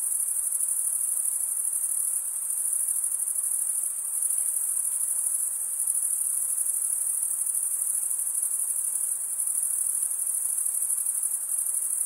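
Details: Chorus of crickets, the males stridulating with their wings, keeps up a continuous shrill, high trill at even loudness throughout. There are no pauses, voices or other animals.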